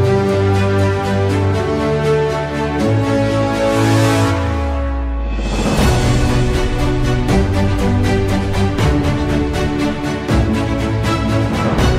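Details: Loud electronic music with a steady beat and a sweeping break fills the whole recording, with no animal voices.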